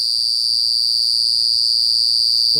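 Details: A lone cicada buzzing loudly at night gives a steady, shrill, high-pitched buzz that holds without a break.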